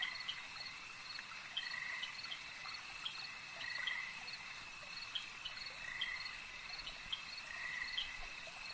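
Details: Lakeside frogs repeat brief rasping croaks about every two seconds. Each croak is a short burst at a middle pitch over an unbroken high-pitched cricket-like drone.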